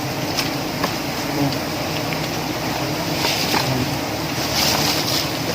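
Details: Steady broadband rushing of wind or water fills the scene, with faint clicks and no clear animal voice.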